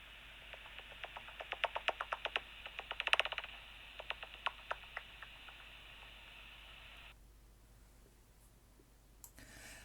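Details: Soprano pipistrelle echolocation through a bat detector in Wales: rapid dry, erratic clicks that bunch together briefly over steady hiss, possibly a feeding buzz as it speeds up before catching prey.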